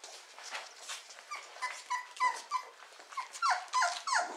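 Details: Litter of four-week-old Beagle puppies in a breeding kennel, giving a rapid run of short, falling squeaks and thin whines, several overlapping and repeated about three times a second.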